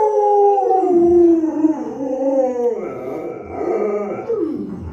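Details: Pet Alaskan Malamute Luoluo, favored by grandma, produces a run of warbling, grumbling howls with bending pitch, rising and falling in uneven pulses, mixing moaning tones with rougher throaty sounds.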